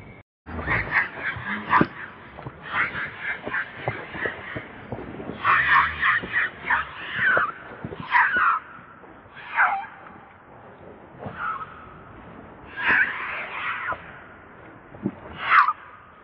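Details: Baby monkey named Lucie, very hungry and crying to beg milk from its mother; repeated short shrill wailing cries in bursts of several notes, with brief pauses and some sharp clicks between calls.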